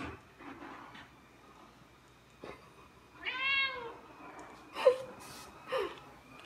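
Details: Indoor Ragdoll cat protesting as its owner gets ready to go out; a single drawn-out, arching meow amid soft household clicks and rustles.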